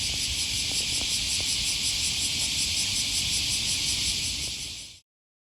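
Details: Shrill, continuous cicada drone with a gently pulsing rhythm on an August morning by the Okawa River, Osaka, Japan, near Sakuranomiya Park; faint clicks and low traffic noise below, cut off abruptly after five seconds.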